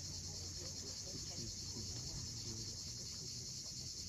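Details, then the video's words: Cicadas at sunset on the steep coast of Cape Fiolent, Crimea: a steady, high, hissing drone runs unbroken throughout, over the low wash of waves, with faint scattered bird notes beneath. "Cicadas at sunset."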